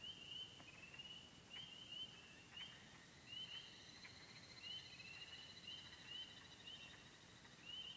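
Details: Pond chorus in the Yellow Dog Plains, Upper Michigan, where spring peepers, wood frogs, green frogs, gray tree frogs and toads occur; shrill steady trilling plus repeated short rising peeps, with a second, higher ringing tone joining midway.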